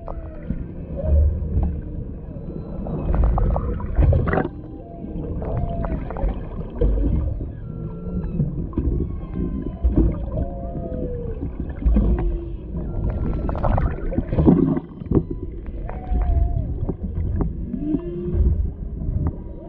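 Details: Humpback whales underwater off Maui, Hawaii, a mother and calf near a boat with a male in the background, captured on a GoPro Hero 7 Black: many looping, rising and falling moans and whoops overlap, with low rumbling water noise beneath.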